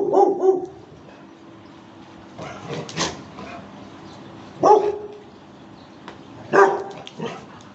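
A Rottweiler gives deep, short barks, singly and in pairs, with gaps of a second or two.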